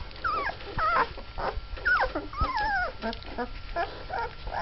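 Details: Mastiff puppies of Litter K, twelve days old and just starting to walk, give high whining whimpers that arch and slide in pitch, several overlapping in quick succession, with shorter squeaky yelps and scuffling sounds between them.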